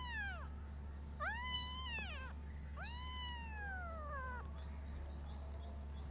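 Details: Loud kitten meows from a group of five, three long drawn-out calls that bend up and slowly sag, the last stretching over a second, followed by faint high chirping; low electrical hum throughout.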